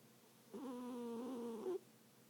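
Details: Sleeping cat snoring: one drawn-out, tonal, slightly wavering breath lasting about a second, with a nasal, humming quality and a small upward flick at the end, set against a quiet indoor background.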